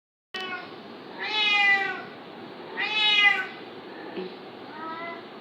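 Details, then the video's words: Domestic cat fighting a kitten: two loud, drawn-out harmonic meows around 1.5 and 3 seconds, rising then falling, with a softer, shorter meow near the end over steady background hiss. "cat fighting baby cat very dengrous"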